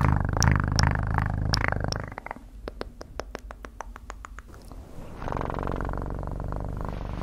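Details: Cat purring in an ASMR recording: a deep, steady low rumble for about two seconds, then a quieter stretch of sharp clicks and taps, and the purr rising again, softer, near the end.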